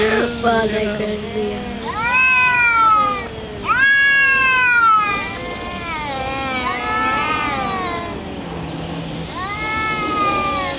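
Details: Black cat Shadow and another cat fighting, producing weird funny noises: repeated surging yowls that rise then fall, overlapping cries from both animals, and a low steady growl in the gaps.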